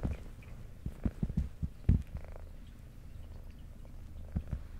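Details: Indoor pet cat, a brown tabby female with white underside, eating while purring: a quiet low purr underneath a cluster of loud wet chewing clicks and smacks in the first two seconds, then a softer continuous rumble.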